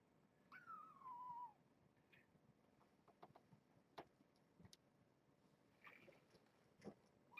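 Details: Kitten at the Purrfect Pals shelter with its mother Janine, a brown tabby rescued as a stray near Tulalip, WA, in an afternoon cage visit; one thin high meow slides downward for about a second, then quiet rustling and soft taps.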